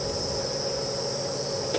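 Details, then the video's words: A dense chorus of crickets at a game reserve on a breezy evening after rain on 17 November 2015, as nocturnal insects come out: a steady high trilling over a lower continuous drone. "and the nocturnal insects are starting to come out in force after the rain you can hear some crickets"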